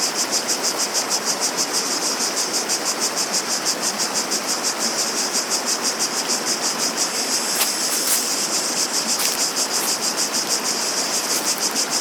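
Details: Shrill cicada buzzing throbs in even pulses about three times a second above the constant rush of water; a few sharp clicks, like steps, are heard late on.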